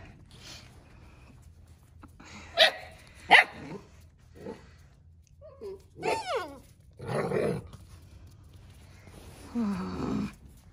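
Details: Central Asian Shepherd puppies Neptune and Nyx play outside in freezing 14°F weather, exploring new ground for the first time. Two sharp, clipped barks are followed by softer yips and a rising-falling whine, then a rougher growly burst near the end.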